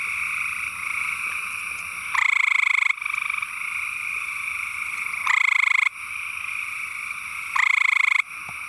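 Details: Male gray treefrog (Hyla versicolor) calling to attract a mate in East Texas; loud musical trills, each under a second long, with a steady pitch, repeated about every 2.5 seconds over a constant high background hum of insects.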